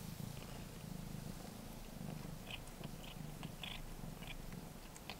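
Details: Ragdoll cats indoors: a three-week-old blue point bicolour male kitten born 28 February 2016, with its mother diligently licking up its urine. Steady low rhythmic purring pulses, mixed with wet licking and clicking sounds.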